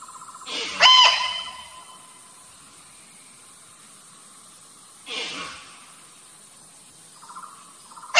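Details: In the middle of a forest, a muntjac gives sharp, hoarse single barks with long gaps of about four seconds between them, and a faint start of another bark at the very end.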